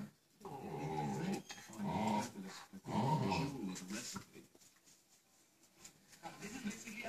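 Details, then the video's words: Staffordshire bull terrier and a Rottweiler cross playing together on a chair on a lazy Sunday morning indoors; three rough, throaty growling bursts in the first four seconds, then quieter scuffling, with a man talking about curries in the background. "Staffie and Rottie x playing on chair"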